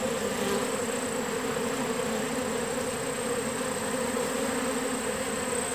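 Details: Many honeybees of a newly captured swarm, settling into their new home on a farm in summer, produce a thick, even buzzing drone that holds steady for the whole stretch.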